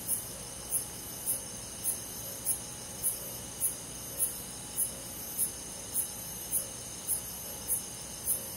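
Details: Crickets on a summer night in a country forest, a fast regular series of high piercing chirps about every 0.6 seconds, fifteen in all, above an even background insect drone.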